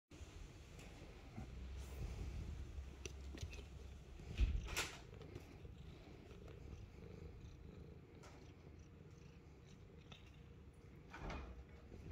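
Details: Purring from a Himalayan Persian cat indoors, a steady low rumble through most of the clip with a brief louder bump midway and faint household clicks.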